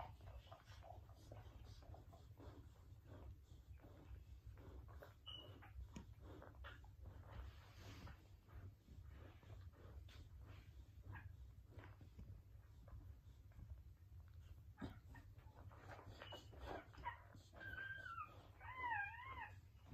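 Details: Pit Bull, also called a Bully, giving birth to her first litter indoors. After long stretches of quiet rustling and breathing, high wavering squeals rise and fall in a rapid run near the end.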